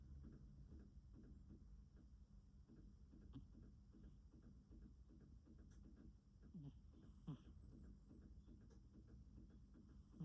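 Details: Sleeping cat snoring softly; low, rumbling breaths pulse in a steady, even rhythm close to the microphone, with a faint hiss in the background.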